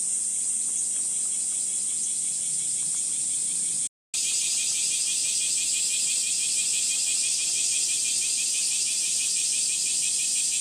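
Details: Summer cicada chorus at Gifu Prefectural Centennial Park, Japan, 37°C, morning of 23 July, on a woodland path under dappled sunlight: a continuous shrill hiss, briefly cut, then a fuller, rapidly pulsing buzz of about three beats per second.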